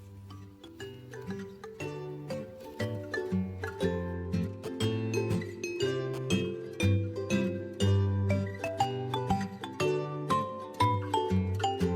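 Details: Bright, plinking music with chime-like notes over a bouncy bass line fills the recording, and no animal voice can be picked out.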